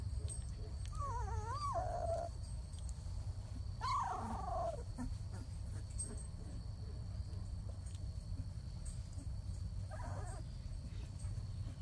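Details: Labrador Retriever puppy whimpers in a funny compilation: a short wavering whine, a quick falling cry a couple of seconds later and a faint last whine near the end, over constant low-pitched background hum.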